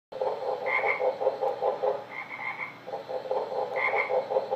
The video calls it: Frog sounds